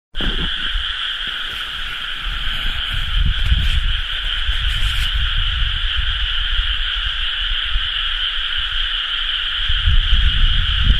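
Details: Frog chorus from rice paddies at rice-planting season, recorded 30 May 2011: a dense, unbroken wall of trilling croaks in two steady high bands, with low rumbling wind or handling noise underneath.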